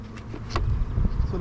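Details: Honey bees at an opened hive in an apiary during an early beekeeping inspection, the colony less busy than expected: a low, steady droning hum with brief bursts of handling noise.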